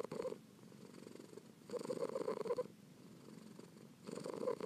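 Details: Kitten Pearl purring softly to aid relaxation and sleep, the low continuous rumble rising into stronger bursts about every two seconds, then easing back between them.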